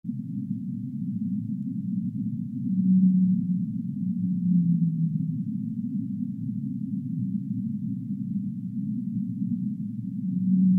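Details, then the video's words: Whale sounds: low, drawn-out tonal moans near the three- and five-second marks, the second sliding slightly downward, with a fainter moan at the end, over a constant deep rumbling wash of underwater noise. "relaxing Whale sounds"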